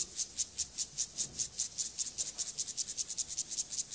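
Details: Gomphocerus sibiricus grasshopper stridulation linked to sexual behaviour, a run of regular high-pitched rasping pulses, roughly two and a half per second, some louder than others, with no other clear sounds.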